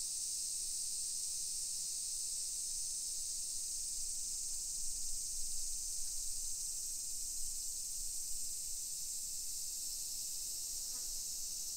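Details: Summer cicadas on a hillside residential street in Nisshin city, suburban Nagoya, Aichi Prefecture, Japan, at 1 PM on 28 July 2021; a steady, shrill, high-pitched drone holds unbroken throughout over a faint low background hum.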